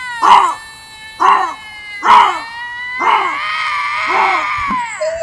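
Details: Bobcat screams: three clipped, nasal yowls about a second apart, then a longer, drawn-out wavering scream that slides downward and fades.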